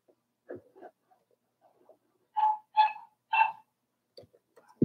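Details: Four-week-old Cavalier King Charles Spaniel puppies from Daisy's litter in their indoor pen give three clear, tonal, whining yelps in a row, each with bright overtones, between soft shuffling noises and faint murmurs.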